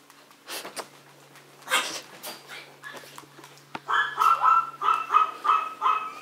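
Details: Maltese or Yorkshire terrier puppies: a few seconds of clattering and shuffling, then a steady string of about eight high-pitched yapping barks, evenly spaced and quick.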